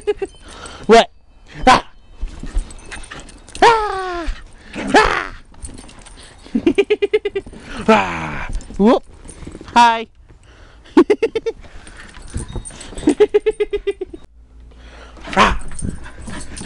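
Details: Pembroke Welsh Corgi trying to eat snow, letting out bursts of fast, pulsing yips and barks in short runs, mixed with a person's playful talk and exclamations throughout.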